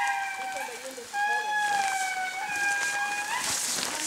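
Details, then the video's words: Indri (Indri indri) in eastern Madagascar wailing in long, sustained musical notes that slide gently down, with a second voice overlapping. "The Call of the Indri - Eastern Madagascar HD"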